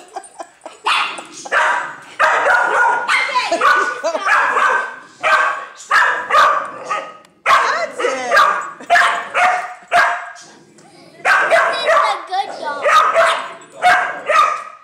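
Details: Angry female Dachshund protecting her nest against a neighbour's playful dog, giving bursts of shrill, rasping barks and snarling yaps in rhythmic volleys, roughly one burst every second, with brief pauses between clusters.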